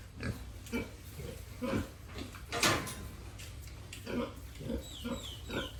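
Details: Farm-raised pigs and piglets in a family pen grunting in short low bursts, roughly one a second and irregular, with a louder rasping squeal mid-clip and scraping noises around them.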